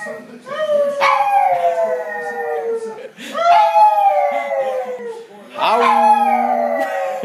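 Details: An excited pug howls during a Timberwolves game. Three long, drawn-out howls slowly slide downward in pitch, each starting sharply, with a low human voice murmuring beneath the last.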